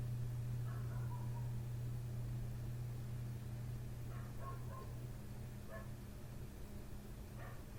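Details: Nighttime barking from the next-door dog right outside a window, ongoing since 1:30 am; scattered single and double barks spaced a couple of seconds apart, softened by distance, with a steady mechanical hum throughout.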